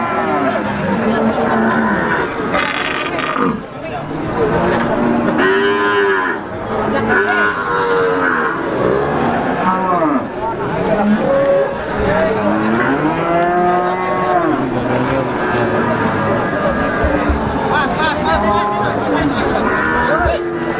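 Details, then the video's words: A chorus of Brahman breeding cattle at the Sumber Lawang cattle market, with many loud moos of varied pitch, some swooping up and down, repeated continuously amid crowd noise. "Sapi Babonan Po brahman pasar sapi sumber lawang"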